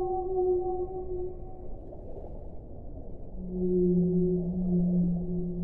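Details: A whale sings drawn-out, level moaning tones, a higher pair of notes fading out, then a deeper sustained moan with an upper harmonic swelling louder, all over a steady low watery rumble.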